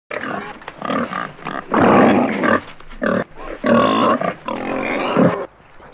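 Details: Wild boar calling, a run of loud harsh grunts and squealing bursts of one to one and a half seconds each, broad and noisy, several overlapping with brief gaps between.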